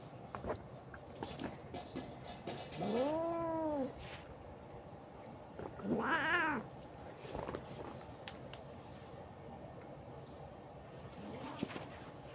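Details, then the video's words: A pet cat gives two drawn-out arched meows about three seconds apart, followed by a faint short mew near the end; background has soft knocks and low hum. "Cat video original sound"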